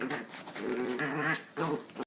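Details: Dog with a puppy making odd vocal sounds indoors: a drawn-out, wavering whine-growl with stacked tones lasting over a second, a brief pause, then a shorter rising whine near the end.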